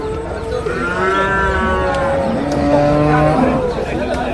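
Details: Buffalo calves for sale at an early-morning Kerala cattle market, Cholakkal in Payyanad, Manjeri. Long, nasal bellowing moos with strong harmonics, two or three callers overlapping and sliding in pitch over about four seconds, with quiet crowd murmur.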